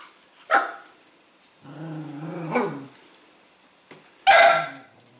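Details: Bentley, a Cavalier King Charles Spaniel, fussing at his food bowl at dinner time until his meal is poured onto the floor: a short yip, a longer quavering whine, then a sharp bark, with faint clatter in a quiet room.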